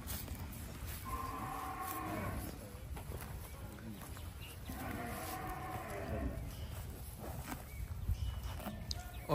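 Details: Brahman cattle, including a Brahman-cross calf, roaming and eating grass on a Bangladeshi farm; two long, droning moos rise and fade at roughly four-second spacing, with a steady low rumble of farm background.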